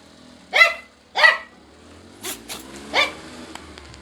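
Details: Friendly Shiba Inu in Kanehama, Aomori City, Japan, petted and brushed to remove shedding coat during moulting season; two sharp barks half a second apart, then quieter scraping and handling noises and a third, softer bark.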